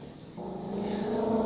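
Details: A female dachshund in a kitchen, scared by a dog picture on a wall calendar she takes for a real dog, gives a low, steady growl that starts abruptly, holds and rises slightly in pitch.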